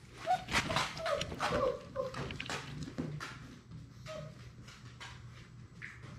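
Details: Playful six-week-old Labrador Retriever puppies from a litter of six, indoors; a run of short, thin whimpering squeals in the first two seconds, then softer scuffling and a faint later squeak.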